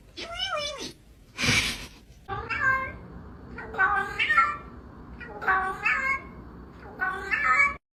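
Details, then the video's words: Domestic cat meowing repeatedly indoors, short wavering meows about every second to one and a half seconds, with a burst of noise near the start. "Funny cat sounds"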